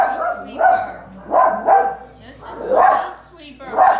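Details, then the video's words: Two dogs howling at a street sweeper they dislike: wavering, tonal howls rise and fall in short swells about once a second. "Howling at street sweeper"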